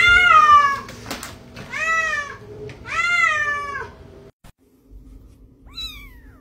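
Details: Talking domestic cat: three loud, drawn-out meows roughly a second apart, each falling in pitch at the end, then a pause and a fainter fourth meow.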